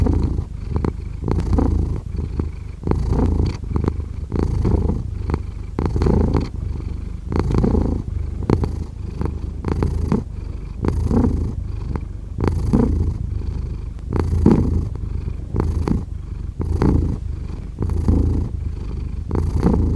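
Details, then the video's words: Long run of steady cat purring, a low throaty rumble pulsing with each breath, fairly even loudness throughout. "5 Hours of Cat Purring"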